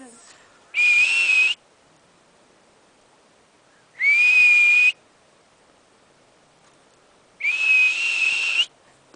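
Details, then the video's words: Marmot at Berg Lake near Mt Robson, Alberta, Canada, confused while a person talks to it, gives three sharp piercing whistles, each near one second long, repeated roughly every three and a half seconds. "Marmot Communication"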